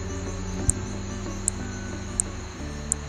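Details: Paedophryne amauensis, a tiny New Guinea frog and the world's smallest vertebrate, calls at night with high, sharp insect-like ticks spaced under a second apart over a low hum, sounding like an insect rather than a frog.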